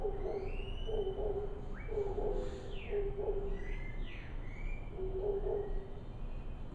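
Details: Howler monkeys calling to each other at daybreak, heard from a jungle-view balcony: distant, low, hoarse roaring bursts in short pulsed phrases roughly once a second, with faint chirps and whistles of other birds above.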